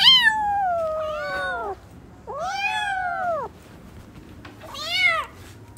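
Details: Playing newborn kittens give three clear meows. The first is long and falls away, the second is a rounded arch, the third is short and bright, with quiet pauses between them.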